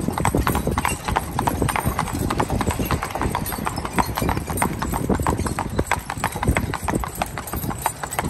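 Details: A driving team of two spotted draft/Haflinger cross horses, an 8-year-old mare and her 4-year-old son, trotting in harness. Sharp, rapid clip-clop strikes repeat densely throughout, several per second, with faint voices underneath.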